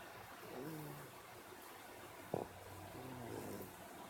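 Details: A cat sound asleep and snoring: two soft, low, droning breaths about two and a half seconds apart over a quiet indoor hiss, with one brief sharp click in between.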